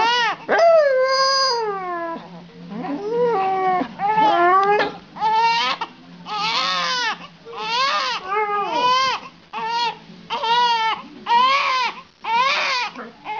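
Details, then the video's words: Dog howling while a baby cries, long wavering tones sliding up and down in pitch, overlapping the infant's repeated crying wails in bursts every second or two. "Dog sings while the baby cries"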